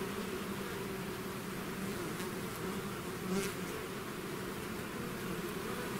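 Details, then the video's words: A swarm of bees that has left its hive makes a thick, constant buzzing drone, one bee passing near the microphone midway for a brief louder whine. "bees therapy swarm natural buzzing sound"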